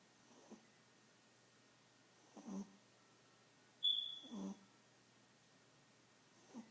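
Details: A tiny pet Chihuahua snoring like an old man: rhythmic, rasping breaths about every two seconds, one with a sharp whistling squeak, in a quiet indoor room.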